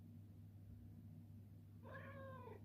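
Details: Indoor Ragdoll cat vocalising for its morning treat: one soft, slightly falling meow near the end, after a quiet stretch with a steady low room hum and a man offering the treat.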